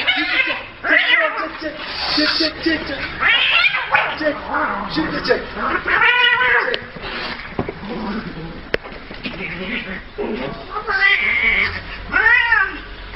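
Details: Cats fighting, with repeated harmonic yowls that arch up and down in pitch, strained and wailing, coming in irregular bursts across the clip, mixed with human speech in the background.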